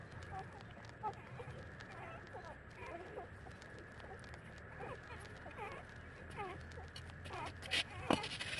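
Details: Thirty-day-old puppies nursing from their mother give soft, thin squeaks and whimpers, many short bending notes in quick irregular succession, over steady background hiss and scattered clicking noises.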